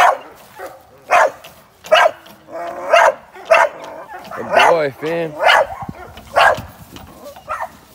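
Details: Young American Staffordshire Terrier trained for ADBA top dog shows, barking in loud, spaced bursts while a man's voice breaks in midway, urging the dog on.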